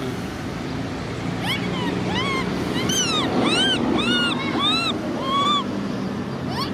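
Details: Baby monkey Cola, a macaque, crying while sister Lyly is angry. Repeated bowed, harmonic wails, roughly two per second, some overlapping, ride over a loud, rushing, surf-like background noise.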